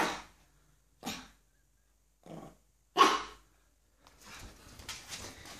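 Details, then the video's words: Four short, separate barks about a second apart come from a 9-week-old male pug puppy scared of gloves, followed by soft rustling. "Puppy is scared of gloves!"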